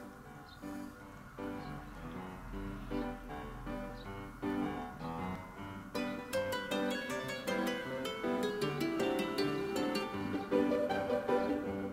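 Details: Gentle plucked-string music, harp-like and guitar-like notes, plays steadily throughout with no animal sound.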